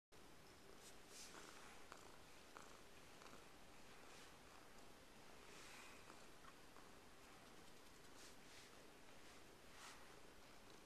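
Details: White domestic cat, a rescue with ear tips removed, newly living in the house with two other cats; a steady low rumbling purr runs throughout, with faint rustling and soft clicks above.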